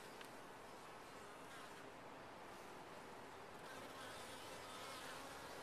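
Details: Colony of honey bees in a top-bar hive giving a continuous broad droning hum, even in loudness throughout, with brief faint clicks near the start.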